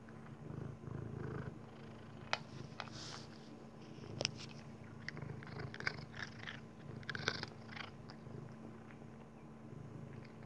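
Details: A Maine Coon cat eating kibble purrs with a steady low rumble while sharp crunching clicks of dry food break through.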